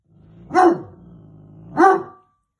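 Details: A very alert male Weimaraner puppy gives two loud, deep barks about a second apart, guarding the house and alerting his owner to strangers: janitors throwing snow off the roof in winter.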